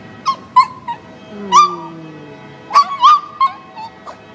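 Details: Cocoa, a female pet dog, howls in reaction to a train horn. Short yelping howl bursts come in two clusters, with a faint low sliding tone between them, in a quieter room.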